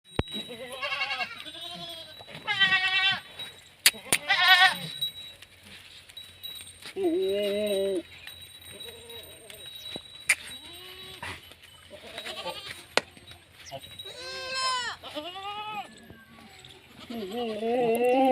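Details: Several goats at a goat farm in Rajasthan, India, bleat repeatedly, with wavering nasal cries overlapping from different animals.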